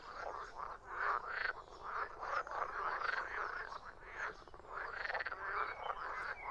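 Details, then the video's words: Dense frog chorus with rolling, grating croaks layered over each other, swelling and fading in waves. "Frogs croaking"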